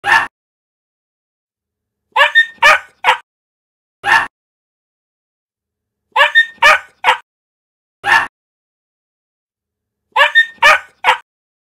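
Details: A puppy barks joyfully in sharp, high-pitched yaps, often three or four in a quick cluster, the bursts returning every two seconds or so with silence between.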